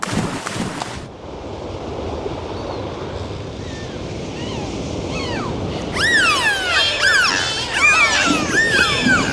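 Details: Dolphin. A few short clicks open the recording, followed by faint whistles under a wash of underwater hiss. Several dolphins then break into overlapping high whistles that rise and fall in quick, looping sweeps.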